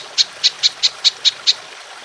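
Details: Short burst of golden grasshopper calling from a songbird training recording: seven clear, high, clicking chirps spaced evenly about a quarter second apart, then quiet.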